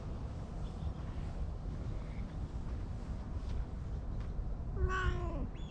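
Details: Stray cat stroked beneath a bench, recorded on a GoPro, with other cats gathering: a steady low rumbling purr runs throughout, then a short meow rising and falling near the end.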